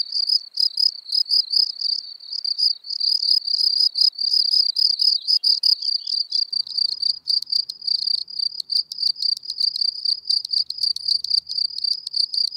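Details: Field cricket (Gryllus campestris) singing in Elsbethen, Austria, 24 April 2020: a dense, almost continuous high trill of rapid chirps, pulses running together with only brief breaks, clear and free of other sounds.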